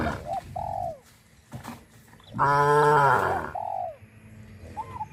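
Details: A cow being herded along a country road lets out one loud, sustained, rich moo lasting close to a second, flanked by softer arching calls before and after in a quiet setting.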